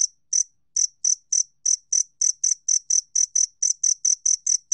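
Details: Two-spotted cricket from a 2020 National Institute of Biological Resources recording: a few spaced chirps that settle into a quick, even series of shrill ringing pulses, clean background.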